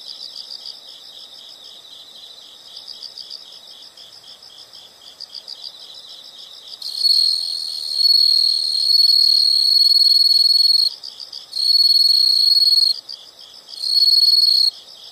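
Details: High insect song outdoors: soft pulsed chirping for several seconds gives way to loud, shrill sustained trills in long bursts of one to four seconds, separated by short gaps.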